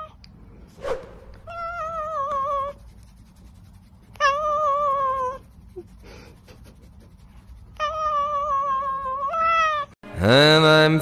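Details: Domestic cat giving long, drawn-out meows with a wavering, slightly falling pitch. Three main calls about three seconds apart, the last followed by a shorter rising one, then a sudden loud harsh burst at the end over low background rumble.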